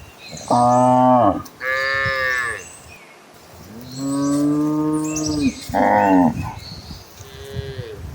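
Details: A herd of cattle running toward green pastures moo in turn, deep rich lowing calls with a few higher, bleating voices among them.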